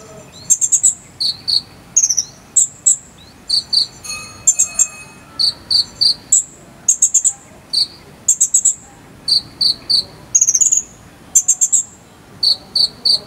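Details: Cricket of the jangkrik sambung cililin type, used as filler song for training a konin bird: short, high pulsed chirps alternating between two pitches, in rapid bursts of three to five pulses, with brief gaps between groups throughout.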